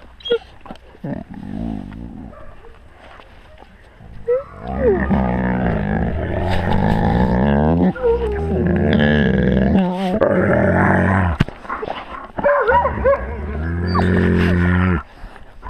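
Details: Pack of wolves close to a GoPro camera at wolf level: deep, rough growling and roaring bouts with harmonic moans and short rising whines, several animals overlapping, with clicks and bumps near the camera.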